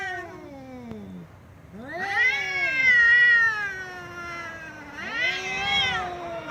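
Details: Loud cat meows: a short falling meow, a pause, then a long arched wailing meow and a shorter rising one, plaintive and drawn out.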